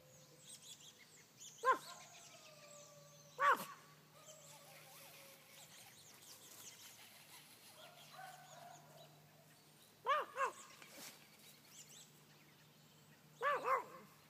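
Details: Small Brussels Griffon barking at two big Great Danes and a little Terrier: sharp single and doubled barks at uneven gaps of several seconds, with drawn-out whining tones between them.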